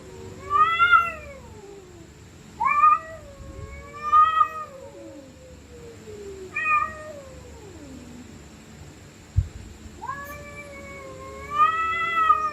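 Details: Stray cats screaming and growling while fighting at night: five drawn-out, wavering yowls that rise then slide down, spaced a second or two apart, with a faint steady hum underneath.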